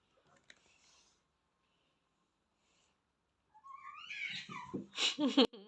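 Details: Black cat wanting to mate, indoors. After near silence comes a rising, wavering wail, then loud broken yowls in quick bursts.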